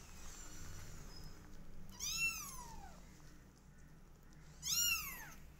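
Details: Twenty-day-old kittens of a cat family: two loud, high meows about two and a half seconds apart, each arching up then sliding down, over a soft steady background hiss.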